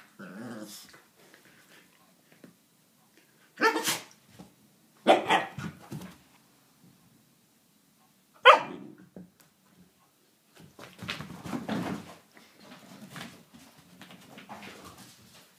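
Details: A 17-week-old Alaskan Malamute puppy in a mood sounds off in irregular bursts: sharp barks mixed with rumbling, growly grumbles and drawn-out complaining noises, with quieter muttering between the louder outbursts.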